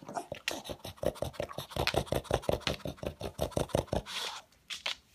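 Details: Pet pug snuffling loudly while hunting for leftover food pellets, likened to a noisy vacuum cleaner: rapid, rasping snorts pulsing almost three times a second, then a short pause and a few final sniffs.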